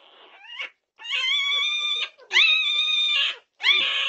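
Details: Norwegian Buhund puppies at 2:30am on June 8, 2021, giving long, high, strained whining cries of about a second each, rising at the start and then held steady, four in a row with short silent gaps.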